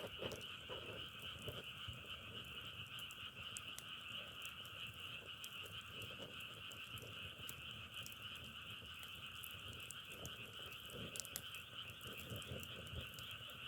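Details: Massed frogs producing a continuous rattling drone said to resemble firewood burning, with steady high and middle bands of trilling, plus scattered crackle-like ticks and some low rumble.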